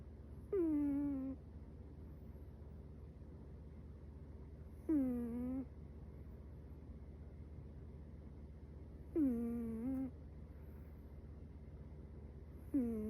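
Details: Sleeping Chihuahua puppy Metaru snoring. Four short whistle-like nasal snores, each falling sharply in pitch at the start and then holding low for under a second, come roughly every four seconds against a quiet indoor background.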